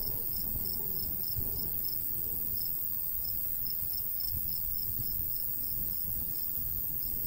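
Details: Summer countryside crickets beside golden wheat give quick, shrill chirps repeated roughly three times a second, steady and unbroken, with a soft breeze rushing underneath.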